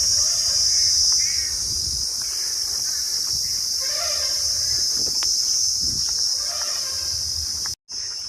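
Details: Crickets chirring beside a narrow road to the Arambagh Gaurhati Kali temple in Bengal, a continuous piercing high trill that holds steady throughout, broken only by a brief cut near the end, with soft low background noise.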